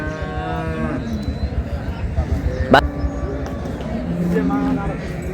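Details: Dairy cows and calves of an improved breed at Ambari cattle market in Dinajpur, Bangladesh: a long low moo at the start, later a shorter moo, over a murmur of voices and market bustle.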